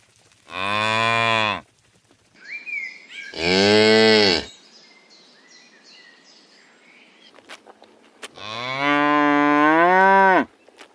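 A cow gives three deep, drawn-out moos, each about a second long, the last slightly rising; faint bird chirps fill the pauses.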